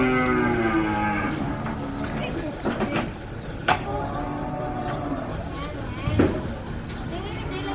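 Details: Cattle being unloaded from a truck give long, low, drawn-out moos that overlap and run almost without pause, with a few sharp knocks and clatters from the unloading and faint voices in the background.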